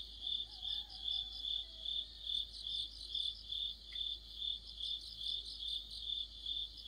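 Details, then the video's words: Crickets with other insects in an autumn night chorus near a streetlamp, a steady high chirping band pulsing about twice per second, with overlapping trilled insect voices above and a faint brief whistle in the background. "가을의 한 복판 곤충들의 합창"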